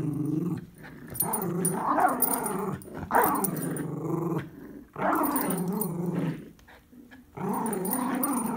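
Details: Miniature Schnauzers, a puppy and an adult dog, playing tug of war: repeated harsh, throaty growls in bursts of one to two seconds with short gaps, rougher and more mixed than a single steady rumble.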